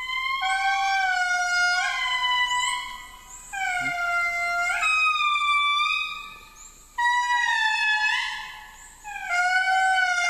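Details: Endangered indri in a Madagascar forest, responding to a guide's playback of their song, sing loud, piercing, wailing notes that swoop and slide downward, each held for a second or two.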